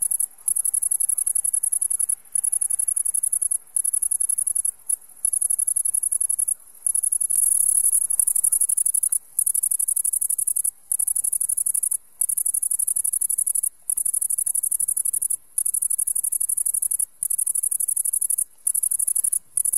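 The great green bush-cricket produces a shrill, sizzling stridulation pitched very high, running in long unbroken bursts. Short gaps split the buzz every second or two, and little else is heard.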